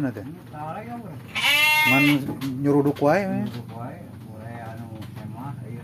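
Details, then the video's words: Farmed Garut sheep at a rural homestead in Sindangbarang, South Cianjur, Indonesia: a strong, quavering bleat lasting under a second, followed by human voices talking nearby. "Ternak Domba Garut"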